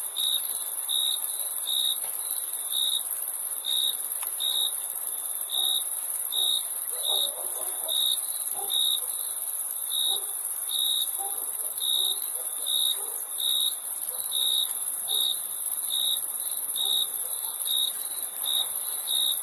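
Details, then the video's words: Steady cricket chirps, brief bright pulses at a single high pitch about once every 0.8 seconds, set against an unbroken, piercing high-pitched insect drone and faint background murmur. "Crickets Chirping Sound"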